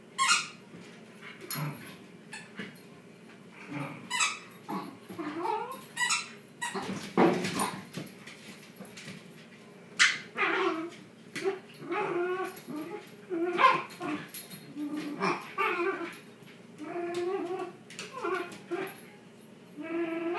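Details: Shiba Inus playing tug of war make a rapid string of whiny yelps, grumbles and rising squeals in an indoor room.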